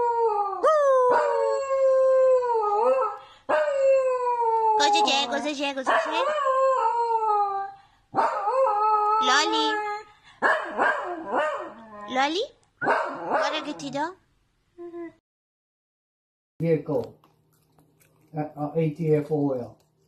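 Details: Sausage dog of the dachshund breed giving long, sliding howls that fall in pitch, then shorter broken yips and yowls, with brief silent gaps near the end; a person's voice may mingle with the calls.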